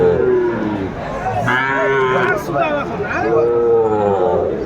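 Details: Cattle lowing at a Comilla livestock market, Bangladesh, 12 February 2025, while a Sahiwal bull is sold. Two rising-then-falling moos, the second longer and steadier, mix with buyers haggling nearby.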